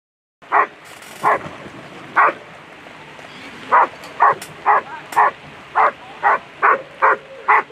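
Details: A German Shepherd at a world championship agility competition barks repeatedly: short, punchy barks, a few spaced out at first, then a steady run of about two per second.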